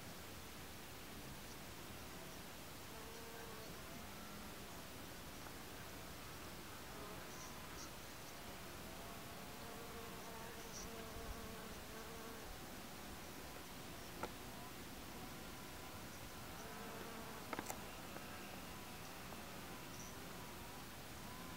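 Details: White-banded digger bee (Amegilla quadrifasciata) foraging on Salvia farinacea, its soft, wavering hum rising and falling in intensity over a steady outdoor background hiss, with a few faint clicks.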